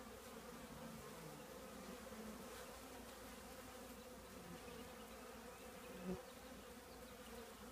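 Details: Steady buzzing of a honey bee colony nesting in an old trash can, a dense continuous drone with layered harmonics and one brief louder pass near the end.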